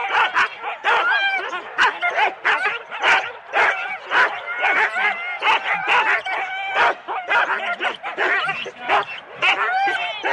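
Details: Several Husky teams of four dogs at a sled race start in Rendlesham, January 2016, barking and yipping excitedly in a dense, overlapping chorus of sharp barks and high whines, with some voices mixed in.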